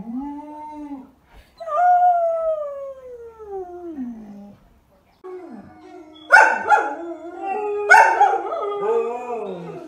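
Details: Samoyed, a fluffy white dog, gives long tonal howls that slide downward, then after a short silence two or three loud, harsh barks followed by lower whining notes.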